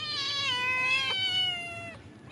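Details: Hungry domestic cats being fed. One long, drawn-out meow lasts about two seconds; it holds steady, then sags slowly lower before fading, with a quiet room behind.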